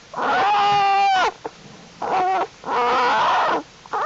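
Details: American black bear cubs of the mother Jewel in the winter den, January 31, 2012, during unusually warm temperatures, as the cubs grow stronger and crawl around: loud, wavering, harmonic bawling cries in three long bursts separated by brief silences.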